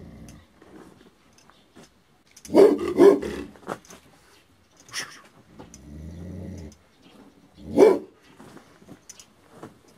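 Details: Aboriginal Tibetan Mastiff, the Do Khyi of Tibet, a guard dog, giving deep growling barks, two heavy bursts close together then a third a few seconds later, with lower rumbling growls between.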